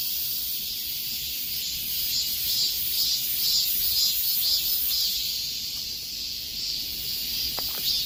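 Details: High, rasping cicada chorus in the hot dog days of summer, pulsing evenly around twice a second and growing slightly louder midway, with two brief thin ticks near the end.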